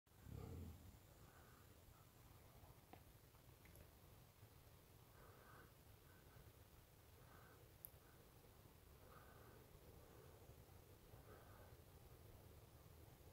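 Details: A wild boar feeding gives quiet, deep grunts and snuffles, muffled bursts repeated roughly every two seconds over a steady low rumble.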